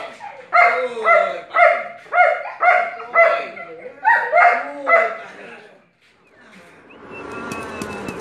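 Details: Asyong, a Belgian Malinois in bite work training, gives seven strong barks at an even pace, about two each second. The barks stop, and the clip ends in broadband rustling and scuffling noise.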